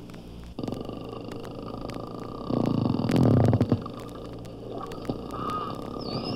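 Bottlenose dolphin clicks and whistles played at half speed, deepened into a rapid, grating pulse train.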